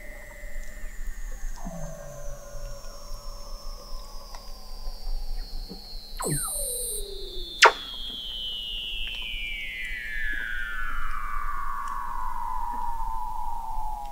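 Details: Antarctic Weddell seals recorded in November 2017 beneath sea ice at McMurdo Sound by an observatory 21 m below the ice: one long whistle sliding steadily downward over fourteen seconds, crossed by brief downward chirps and a sharp click.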